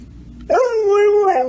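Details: Talkative dog 'talking' back to a person: a single sustained, fairly steady howl-like tone with a rich harmonic stack, starting with a quick rise and ending with a slight upturn, lasting about one second.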